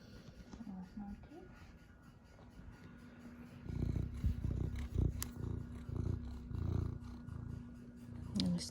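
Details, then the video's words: Dog snoring and dreaming while napping indoors in Royal Palm Beach, Florida; deep rumbling breaths in rhythmic low bursts after a quiet start, with a woman's voice briefly speaking at the beginning and end. "Snoring dog"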